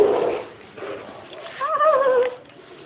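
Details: Shih Tzu puppies walking indoors give a brief wavering, high whimper that rises slightly and then falls over about half a second, after low rustling, with people chatting in Tagalog nearby.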